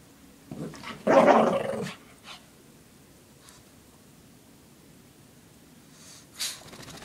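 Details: Shih Tzu Lacey playing with her pink puppy blanket, shaking her head, sounding fierce; a short grunt followed by a harsh, rumbling growl of about a second, then quiet with faint rustling and a brief click near the end.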